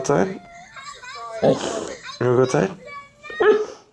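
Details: Siberian Husky named Lincoln calling indoors in the morning because he wants to go out. Four harmonic, talking-like yowls and whines come in short bursts with pauses between, each rising and falling.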